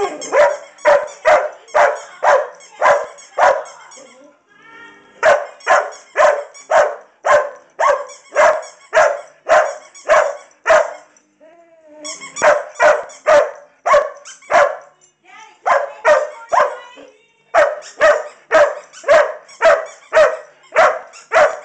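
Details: Irish Setters LadyBug and Rusty, with LadyBug barking while wanting her toy: loud, sharp barks repeated roughly twice a second in runs, broken by short pauses and softer whining sounds.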